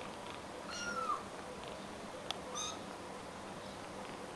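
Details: About 3-week-old rescued stray kittens in Greece, four in the litter, kept indoors and bottle-fed formula. One thin, high, slightly falling mew is followed by a fainter second mew in a quiet room with low background hiss.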